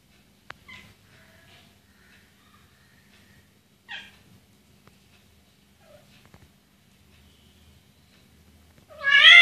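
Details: Persian cats during mating: short harmonic meows and a brief downward call scattered through a quiet room, ending with a loud, harsh, rising caterwaul-like cry.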